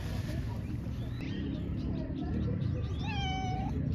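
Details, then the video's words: Female stray cat living in a park gives a drawn-out harmonic meow, level then falling at the end, after a shorter wavering mew, over a steady low rumble of background noise. "Lovely girl living in the park, she has nice meowing"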